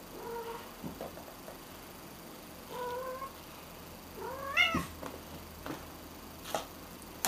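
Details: Cat meowing indoors: three separate clear meows, the first two short and level, the last louder and rising then falling, followed by faint clicks and a sharp knock at the end.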